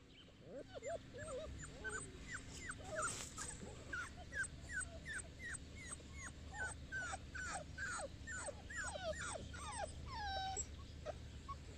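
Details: Boerboel named Enzo, at Mastiff Hub Egypt, giving a dense run of high, thin whimpers and yelps, each a short rising or falling slide, overlapping and repeated rapidly throughout, over a steady low hum.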